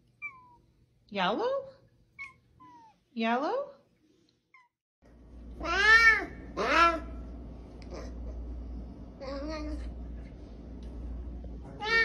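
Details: A talking cat gives two clear rising-then-falling meows about two seconds apart, then louder, stacked meows over a droning background hum, with scattered softer calls toward the end.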